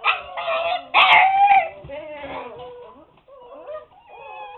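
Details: Siberian Husky puppies, seven weeks old, confined to their pen and complaining; a burst of loud overlapping whines and yelps, then softer, lower drawn-out whimpers trailing off.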